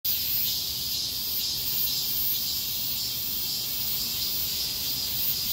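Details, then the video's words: Cicadas chorusing together on a street during a heatwave: a dense, continuous high-pitched buzzing drone with a slight pulsing shimmer, steady throughout, with faint low background rumble. "폭염속 매미들의 거리합창"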